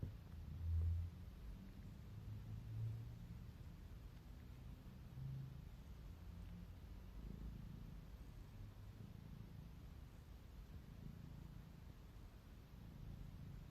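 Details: Pet cat purring while yawning, a soft low continuous rumble that holds fairly even throughout, with one brief louder swell near the start and nothing else clearly audible.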